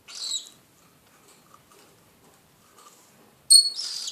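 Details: An unidentified animal gives two harsh, hissing screeches, a short one at the start and a louder, broad one near the end, with near silence in between.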